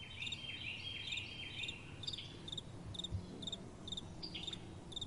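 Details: Night-time crickets with soft wind: high, clipped chirps come roughly twice a second, joined in the first seconds by a denser, slightly lower rattling trill from other callers. Faint wind hiss stays underneath.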